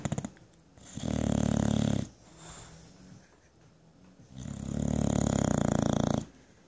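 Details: Bulldog named Jenson dozing on a lazy Sunday, giving two long, loud, rattling snores about three seconds apart, each lasting roughly a second or more, with quiet wheezy breaths between them.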